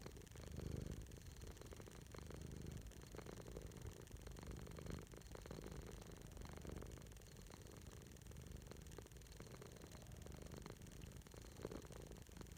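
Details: Pet cat named Servo lying on its owner's chest and purring: a steady, low, rumbling throb with faint rhythmic pulsing that runs throughout, over a soft, constant background hiss.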